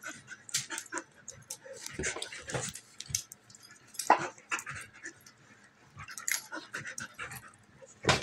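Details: A German Shepherd puppy, almost a year old, wrestles with a female Golden Retriever mix in play. Scattered growls, huffs and sharp yelps come in irregular bursts over scuffling, with a loud yip near the end.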